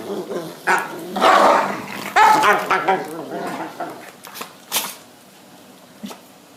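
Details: Dogs Babette and Luke in a sneeze-off after Babette rejects Luke's advances: a few loud, tonal barks near the start, then irregular snorts and sneezes tapering off into quiet.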